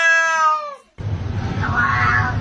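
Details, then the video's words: Pet cat in a compilation of cats said to speak English, giving a clear harmonic meow that falls in pitch and fades, followed by a burst of low background noise. "Cats can talk."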